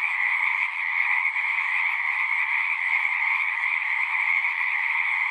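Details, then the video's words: Frogs singing in a dense, unbroken chorus: a steady shimmering trill of many overlapping voices, with two bright pitch bands, one high and one mid-high, and no gaps or other sounds. "One hour of singing frogs."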